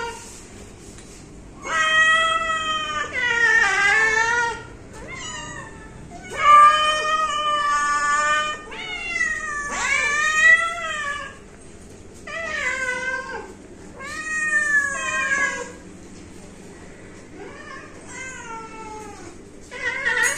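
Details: Pet cat calling repeatedly, a run of about ten insistent meows, some long and wavering, some short and sliding downward, spaced one to two seconds apart indoors.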